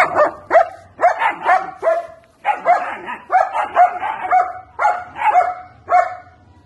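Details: German Shepherd puppies, 70 days old, barking and yipping in a rapid run of high, sharp barks, about two per second with a brief pause midway, several voices overlapping.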